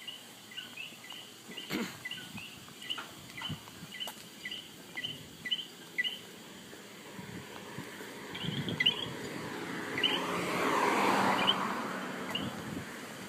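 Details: Coqui frog recorded in Puerto Rico giving quick two-part co-qui calls in a regular series, then fading as a broad rushing noise builds; a constant high insect drone runs underneath.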